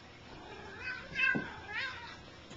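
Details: Bengal cats playing indoors, a larger adult cat and a kitten; the big cat makes most of the noise. Three short, rising, chirp-like meows come close together, with scuffling play sounds behind them.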